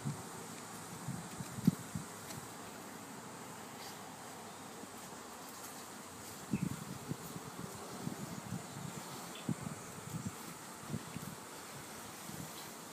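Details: Honeybee swarm during a calm removal: a steady low droning hum of many wings holds throughout, with scattered louder buzzes and soft knocks and rustles from handling.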